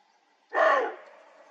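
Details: Male roe deer stag during the autumn rut in the Dzhungarian Alatau mountains answers antler rattling with his barking call, warning rivals from his territory. One loud, harsh, hoarse bark lasting about half a second against a quiet background.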